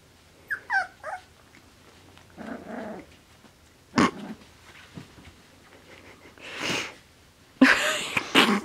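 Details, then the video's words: Four-week-old male Finnish Spitz puppies at play give quick high squeals in a short cluster at the start, followed by louder rustling, thumps and handling noise in separate bursts. "Finnish Spitz Puppies Playing - 4 Weeks Old"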